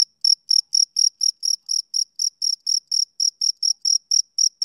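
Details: Male cricket on a summer evening giving a steady series of high, ringing chirps, each slightly drawn out, about four a second, starting after a brief silence; no other sound.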